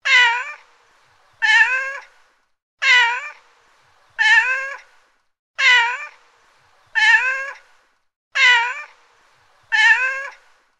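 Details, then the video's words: A cat meowing: eight loud, even meows, each a rich, wavering tone that rises and then falls, repeated about every one and a half seconds in a quiet setting. "Cat Meow"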